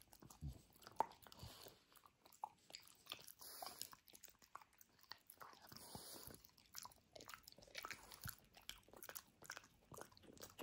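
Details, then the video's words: Frenchie named Benedict tearing into his dinosaur toy indoors; irregular crunchy bites and wet chewing clicks continue for about ten seconds, with bursts of louder crunches between quieter pauses. "Benedict the Frenchie demolishes his Dinosaur!"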